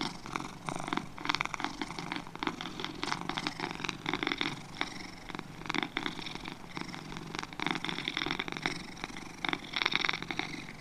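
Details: Pair of domestic cats purring steadily, a dense, fluttering buzz with many fine pulses and only slight rises and falls in loudness across the stretch.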